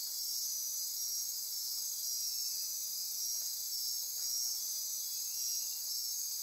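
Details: Dense midnight chorus of insects in Costa Rican rainforest near Corcovado National Park: high, continuous trilling and pulsing, with a couple of faint lower knocks briefly cutting through.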